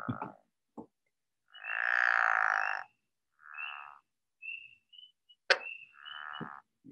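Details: A pickerel frog, an early spring breeder, gives a low, rattling snore lasting over a second, with thin spring peeper peeps behind it.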